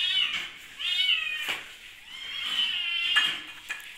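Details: Hungry kittens during lockdown, meowing indoors: a run of high, wavering mews, some drawn out and bending in pitch, coming in three loud bursts with short gaps between them.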